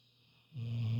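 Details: Lilly, an elderly female Labrador snoring: after half a second of quiet, a deep, rumbling, throaty snore starts abruptly and holds steady to the end.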